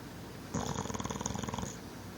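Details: A big adopted rescue English Bulldog, apparently with a hard past, snores with a rapid, rattling, fluttering buzz lasting about a second.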